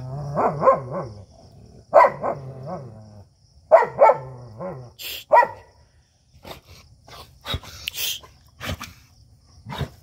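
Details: Two dogs, an Indian desi dog and a German Shepherd, fighting; harsh harmonic barks and snarling growls burst out in clusters roughly every one and a half seconds for the first five seconds, followed by scattered sharp knocks and scuffling noises.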